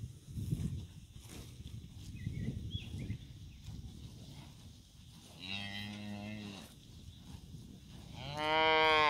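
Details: Cattle, cows and calves together, on the move to summer pasture; two loud, drawn-out moos stand out, a deep harmonic low lasting over a second, then a rising, brassier call at the end, over soft rumbling in between.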